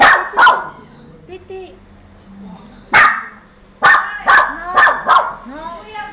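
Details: Pet dog barking when strangers are present: a quick double bark, a pause, a single bark, then a run of four rapid, loud barks, with quiet voices in the background.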